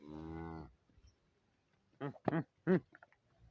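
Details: Friesian cow offered for sale in Pakistan gives one steady low moo of about three quarters of a second, followed after a pause by short bursts of speech.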